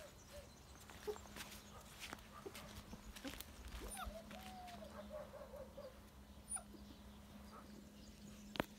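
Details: Active black puppy letting out one drawn-out, wavering whimper in the middle, against a steady low hum and scattered clicks.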